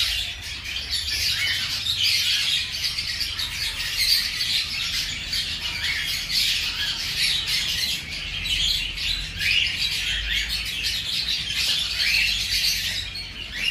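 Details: Five-day-old baby hamsters feeding: a dense, continuous chorus of thin, high-pitched squeaks and chirps that rises and falls in waves throughout, with a faint low hum underneath.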